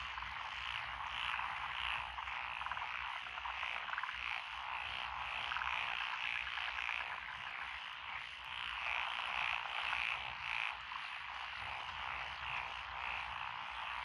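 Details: Frog voices over lotus rice fields on a country road in Echizen, Fukui, Japan, 12 June 2021. Japanese tree frogs, pond frogs, wrinkled frogs and green tree frogs call. Steady trilling chorus, with bright high croak bursts repeating in runs.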